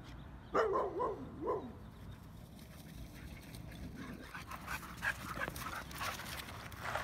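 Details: Dogs playing chase at a dog park, where a fast husky is pursued by two greyhounds; three short, high, whining yelps in quick succession during the first two seconds, followed by rustling, scuffling outdoor noise.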